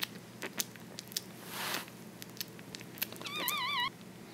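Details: One-week-old French Bulldog puppy dreaming in its sleep: a brief, wavering, quavering whimper with a trembling pitch comes near the end, after soft snuffling breaths and scattered faint ticks and rustles.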